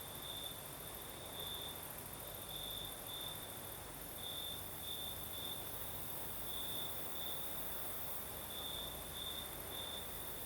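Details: Crickets singing on a southern night in Crimea with a night breeze: a steady high trill with pulsing brighter bursts every half second or so, over constant broadband breeze hiss and a faint high shimmer.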